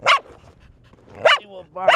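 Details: Bear, a four-year-old female pet dog, barks while being taunted with a toy: sharp loud barks roughly a second apart, with a faint human voice between them.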